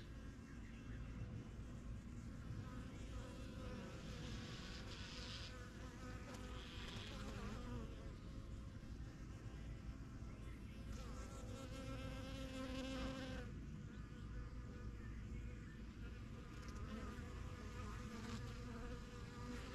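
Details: Honey bees swarming around their new backyard hive, a first-year colony from spring 2023. A steady low roar of wingbeats, broken by brief brighter hissing bursts and a louder close pass near twelve seconds.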